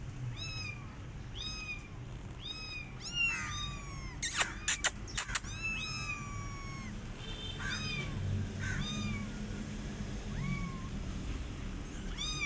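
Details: Rescue kittens left alone after their mother cat did not feed them, giving high-pitched, bending meows repeated about once a second, several callers overlapping, with a burst of sharp clicks and knocks midway through.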